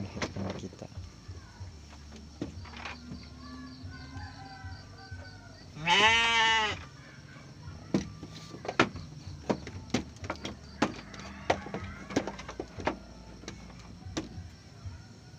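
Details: Garut sheep ewe delivering triplets in the rain, one clear, quavering bleat midway through, with scattered clicks, taps and steady background hiss.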